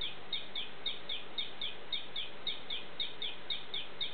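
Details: Ameerega hahneli poison frog calling in the morning: a steady series of short, high chirping notes, each with a quick downward slide, repeated about three to four times per second with even rhythm over faint background hiss.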